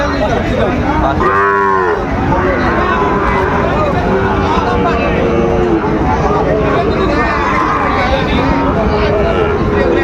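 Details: Sahiwal bull calves offered for sale at the start of the Ambari cattle market in Dinajpur, Bangladesh, on 12 September 2025; one drawn-out moo early on, rising over constant crowd chatter and bargaining voices of the busy market.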